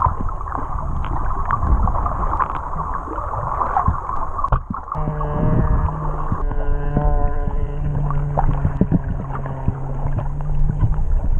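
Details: Whales singing underwater off Tonga, recorded while swimming with them, audio left unaltered; low droning moans and stacked harmonic tones sustained over several seconds, with loud water rush and bubbling throughout.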